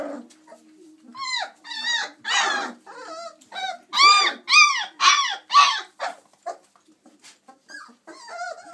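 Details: Litter of 26-day-old chocolate Labrador Retriever puppies at play; soft whimpers build into a quick run of loud, arched yelping whines, about two per second, then fade into quieter squeaks.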